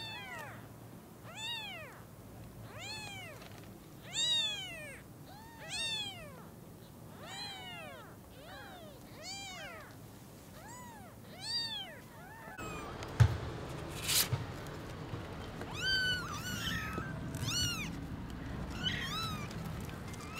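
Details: Newborn kittens seeing their mother cat for the first time give a steady string of a dozen short, high, arched meows roughly every second, before a shift to rustling, scattered chirps and handling noise.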